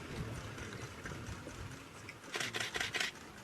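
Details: Splashing, rushing water and background noise, with loud broadband bursts of splashing near the end and no animal voices.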